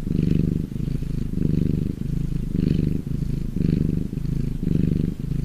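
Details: Happy domestic cat purring, a deep continuous rumble that swells and fades in regular cycles of about a second, each breath in and out showing as a slightly different pulse.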